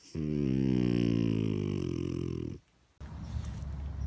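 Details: French Bulldog letting out a long, low, throaty groan lasting over two seconds that slowly slides downward before stopping, followed by a short pause and muffled indoor rustling.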